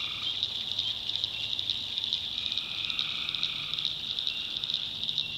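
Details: Tree frogs calling at night in a North Carolina backwoods swamp: a dense, high, steadily pulsing chorus of many callers, with a faint lower trill near the start and midway, and a soft low rumble underneath.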